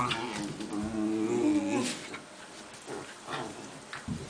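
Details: Two Italian greyhounds playing indoors: a wavering harmonic growl for nearly two seconds, then quieter scuffling, breathy noises and soft thumps.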